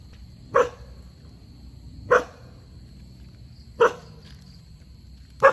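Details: A dog barking while running after a squirrel: four sharp, single barks spaced about one and a half seconds apart, with a steady faint high tone and low background rumble.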